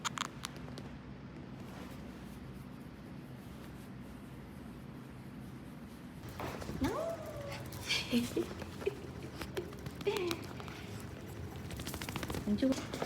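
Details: Maltichon dog named Rang-i, coming along to work with its owner: after six quiet seconds of steady low hum, a series of thin, sliding whines and squeaks, falling in pitch, repeats several times until the end.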